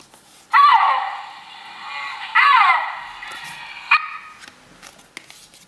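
A snow leopard gives loud, strained wailing calls that slide downward in pitch, repeated twice with a brief final note.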